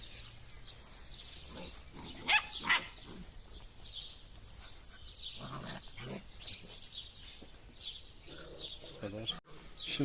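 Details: German Wirehaired Pointer (Drahthaar) puppies, shown one after another, one with a brown-grizzled coat growing in; two short, sharp yelps stand out near the middle among fainter noises, over steady talking and light bird chirps in the background.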